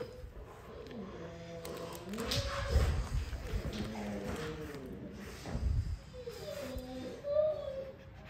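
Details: Lola, a female XL American Bully puppy indoors, asks permission to play with her favorite toy: drawn-out, wavering whines that rise and fall in several bursts, with low thumps and snorts between them.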